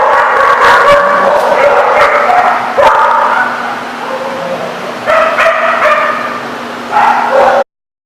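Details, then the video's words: Dogs at a dog lot barking and yipping in dense overlapping bursts, some whimpering tones, a constant low hum in the background, cut off abruptly near the end. "The Barking Lot"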